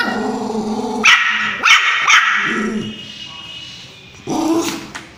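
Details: Angry puppy barking at its owner: three sharp, high yaps in quick succession after about a second, then quieter growly whining; a person's voice is heard near the start and end.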